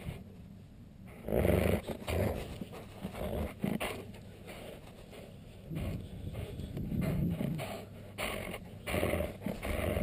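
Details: A husky, alsatian and Alaskan malamute cross dog growls low and rumbling while being annoyed, in uneven bursts with pauses between, mixed with rustling and handling noise.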